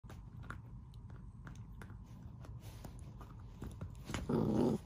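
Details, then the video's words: Golden retriever puppy, a female, barking for help after dropping her bone. Soft taps and clicks for about four seconds, then one short, loud, tonal bark near the end. "Baby golden retriever drops her bone and barks for an assist!"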